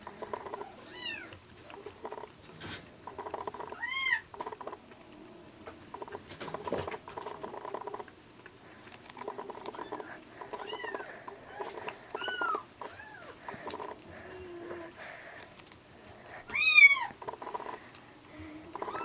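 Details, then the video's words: Rescued ginger and bicolor kittens, taken in at about 80 g in late February, bottle-fed near weaning; scattered thin mews among steady feeding and handling noise, one louder cry near the end. "ちゃとらとはちわれ 保護猫のミルクあげ"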